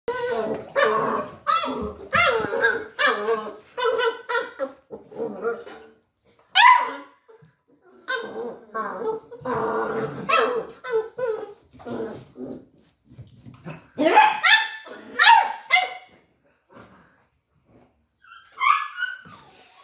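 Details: Beagle puppies arguing and fighting indoors, trading rapid high-pitched yappy barks in dense bursts, with squealing whines and yelps rising near the end, separated by short pauses.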